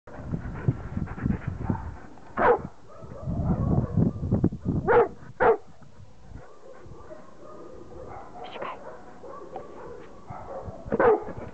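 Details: Hovawart at play with his toys, giving a few short, sharp barks spaced several seconds apart, with softer rustling and thumping play noises between them.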